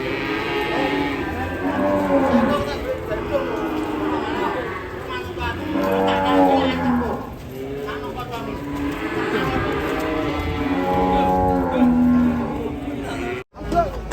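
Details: Agitated, rampaging cow lowing in drawn-out, harmonic moos repeated through about fourteen seconds, while people close by talk and call out to calm the animal and warn bystanders to move away.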